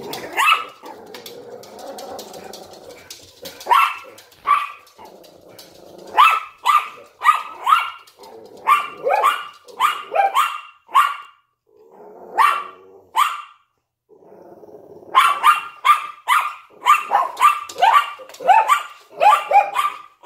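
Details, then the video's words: Indoors at a window, a Yorkshire Terrier barks together with a Lhasa Apso; low growling at the start, then bursts of rapid high yaps in quick clusters, broken by brief silences. "Yorkshire Terrier and Lhasa Apso Barking in the Window"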